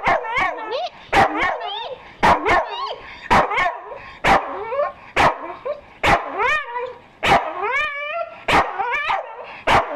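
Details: A Staffy offered breakfast whines in looping, wavering tones and barks sharply almost every second, an excited run of sounds, while a voice calls him a good boy.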